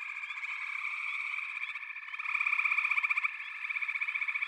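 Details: Massed frog voices form a constant buzzing drone, with distinct rapid pulsed trills growing louder in the second half.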